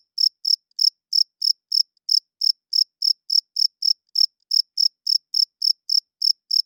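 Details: Night-time cricket giving a steady run of sharp, high-pitched chirps, roughly twenty-four in under seven seconds, evenly spaced and equally loud, against a perfectly quiet background.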